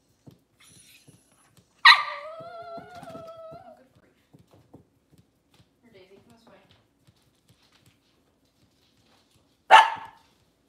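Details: Kitchen camera feed of Cavalier King Charles Spaniel mothers and puppies indoors on a cloudy Monday morning: a sudden bark runs into a drawn-out whining tone lasting about two seconds, then quiet tapping and one more sharp bark near the end.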